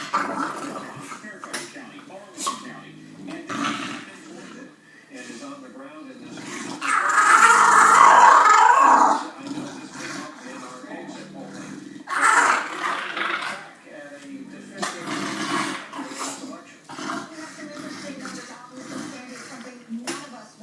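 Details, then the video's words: English Bulldog making unusual vocal sounds: low grumbling and growl-like noises, then a long, loud, strained moan with stacked harmonics in the middle, followed by shorter rising grunting bursts and softer murmurs. "My English Bulldog makes crazy sounds!"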